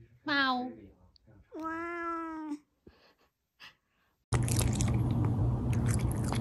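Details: Domestic cat close-up, indoors: two drawn-out harmonic meows, the first rising then falling, the second long and level, followed by a short faint sound and then a burst of loud broadband noise.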